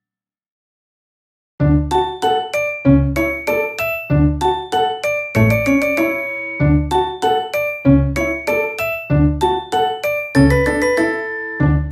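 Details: A bright chiming melody like a music box or glockenspiel plays in repeated notes after a second and a half of silence, with no animal sound.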